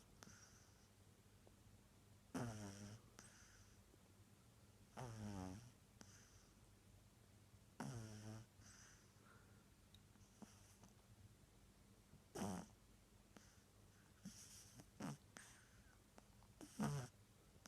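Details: Justina, a pug, snoring indoors: low, rasping snores with ringing harmonic bands, about six drawn-out breaths in eighteen seconds, spaced roughly two to five seconds apart, with faint softer breathing between them.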